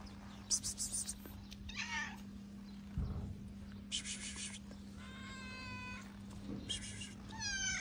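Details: Skinny stray calico cat in Morocco meowing loudly from hunger, a series of arched, harmonic meows rising then falling, several close together toward the end, over a steady low hum and faint outdoor noise.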